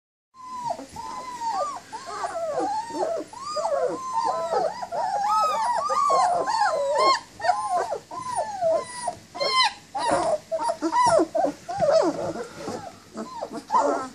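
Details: Several 19-day-old German Shepherd puppies, up and moving around, whining for their mother: a dense overlapping chorus of high, arched, squeaky whines that rise and fall, with many voices calling at once almost continuously.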